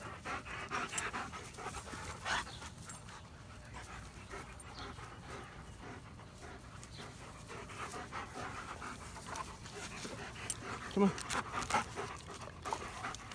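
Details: Domestic German Shepherd breathing hard in quick, irregular huffs, roughly one to two breaths per second, with a brief whimpering note and soft Spanish-speaking voices in the background.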